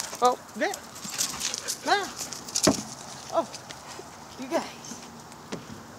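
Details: Excited huskies in a sudden spurt of wild play, calling in short arched, yodelling yips and woos, rising then falling, about one every second, with human voices and footfalls around them.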